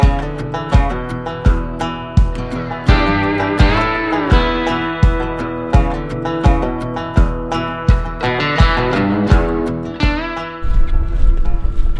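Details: Strummed acoustic and electric guitar music with a rhythmic beat fills the whole stretch, and no animal calls come through.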